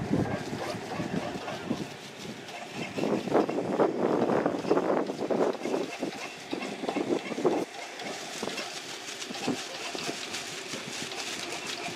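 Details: Outdoor event with vehicle-like rumble, broadband noise and indistinct voices, with no animal sound heard.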